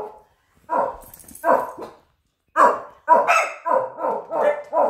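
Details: Jet, a pug puppy, barking around his toy basket: a pause, then a burst of short, sharp yaps in two loose bunches, the later ones coming quickly one after another.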